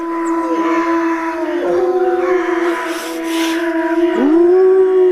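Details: Wolves howling together in several overlapping voices: long, steady, low tones sustained across the stretch, with a fresh howl sliding upward near the end and holding.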